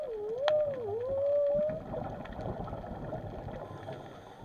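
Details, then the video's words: Whale calling undersea: a clear tonal moan that dips, rises and wavers in a smooth curve for under two seconds, then fades into a wash of low rumbling water noise. "WHALES SOUNDS"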